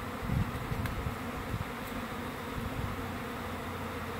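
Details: A honey bee swarm of roughly 20,000 to 30,000 bees from a one-year-old hive, on a Saturday morning in June, clustered high in a maple tree before being housed in a hive box. It makes a steady low droning hum with faint rustling noise.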